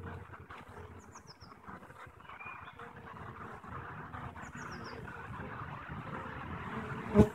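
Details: Honey bees at a beehive on 21 April 2015, the day after queen cell eggs for three queens were placed; a steady low buzzing hum, with two quick runs of high bird chirps and a sharp knock at the end.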